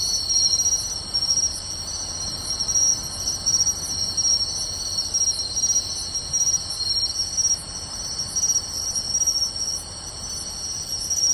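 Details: Pine crickets, bell crickets and other insects singing together on a summer night in beachside grassland at Tainai, Japan, 24 August 2020: steady layered high trills with a faint regular ticking pulse above, no other sounds.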